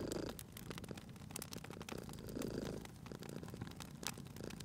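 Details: Soft, rumbling purr of a sleeping cat near a fireplace, gently rising and falling with its breathing, with crisp crackles from the burning logs over it.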